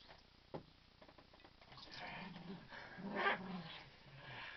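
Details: Rosie the dog playing "kill the duvet" with Chilli Bob indoors while Basil watches; low rumbling growls build through the middle and peak near the end, mixed with rustling of fabric.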